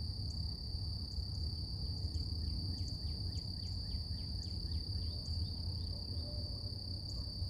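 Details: In the morning in nature, cicadas hold a steady, high-pitched ringing drone over a low rumble of outdoor noise.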